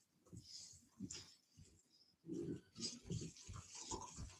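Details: Cane Corso (Italian Mastiff) from a breeder's pack about an hour west of Nashville, Tennessee, giving low, pig-like grunts and snorts in short uneven bursts, louder and denser in the second half, with hissy snuffling breath between them.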